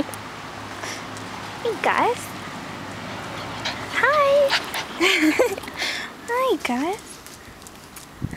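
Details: Gus, a Bernese Mountain Dog, settling into his new surroundings, gives several sweeping whines that slide up and down in pitch, separated by short pauses, while a person talks nearby over a low background hum.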